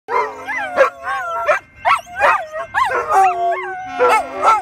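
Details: Three pet poodles howling together in reaction to a train whistle; overlapping wavering, rising and falling howls in several pitches, with a steady whistle tone held beneath them in places.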